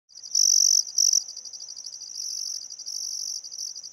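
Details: Crickets at sunset by the Barcoo River, Welford National Park, Outback Queensland, Australia, on a still summer afternoon: shrill high buzzing bursts, two loud ones in the first second, then a softer steady trill with brief breaks.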